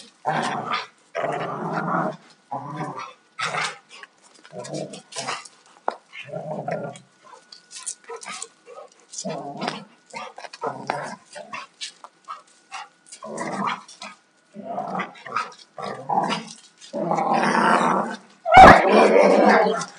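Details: Two Alaskan Malamutes, a 2-year-old male and a 4.5-year-old female, play roughly. They give repeated rough growls and grumbling bursts in irregular spurts, with a sharp bang and a longer snarling growl near the end.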